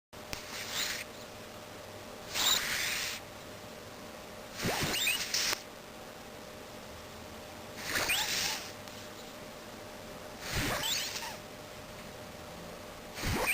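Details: Sleeping male domestic cat snoring, recorded with distortion: harsh, breathy, hissing bursts of about half a second, returning roughly every two and a half seconds over a steady faint hum.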